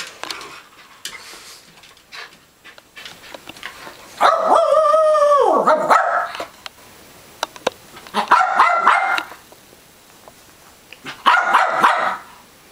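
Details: Two pet dogs climbing a TV stand to get at a stuffed duck: a long, wavering, harmonic whine of about two seconds, then two shorter bursts of rapid, tonal yapping barks, with quiet rustling between.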